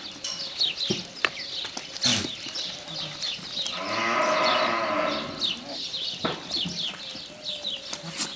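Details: Goat giving its mating call after birthing: a long, wavering bleat swells midway through, framed by clicks, knocks and busy farmyard background noise.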